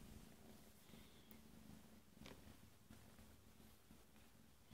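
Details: Ragamuffin kittens purring indoors: a quiet, steady low rumble that runs without a break, with faint soft rustling and a few light clicks.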